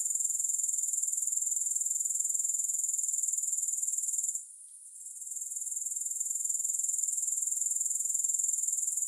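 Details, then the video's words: A high, sizzling grasshopper chorus of quick regular pulses, briefly fading to near quiet partway through before returning as an even, unbroken trill; no music or voices. "Grass Hopper Sounds"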